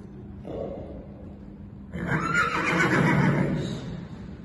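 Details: Four-year-old registered Irish Draught horse giving a loud, rough whinny that starts about two seconds in and holds for roughly two seconds before fading, after a faint low sound and quiet background murmur.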